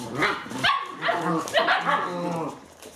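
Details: Eight-week-old Alaskan Malamute puppies playing indoors during bad weather, giving short sharp yips and whiny barks with bright upper harmonics, interleaved with low human speech.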